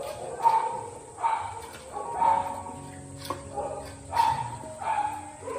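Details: Rescued beagles, part of a group of about 1000 dogs at Korean shelters whose hospital treatment was stopped, barking in short sharp bursts roughly once a second over a soft music background.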